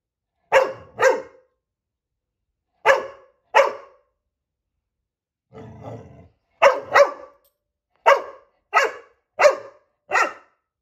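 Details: Female puppy Coco barking at her reflection in quick, repeated barks, mostly in pairs, about nine in all, broken midway by a low rumbling growl.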